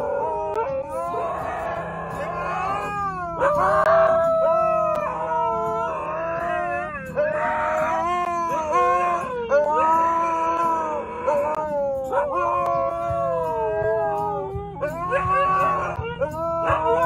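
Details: Two Siberian Huskies howl together in the back seat of a car, with a Golden Retriever trapped between them; long, wavering, overlapping tones rise and fall with yodelling bends.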